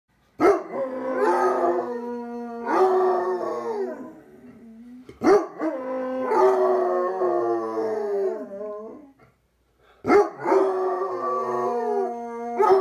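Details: Two Basset Hounds howling together in a duet: long, drawn-out harmonic howls that waver and slide downward, each lasting about two to four seconds, starting again roughly every five seconds with brief gaps between.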